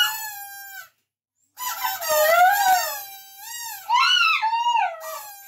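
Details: A dog 'singing' a song, with a steady held howl, a short silence, then rising and falling wavering howls and a final quick upward-swooping yowl.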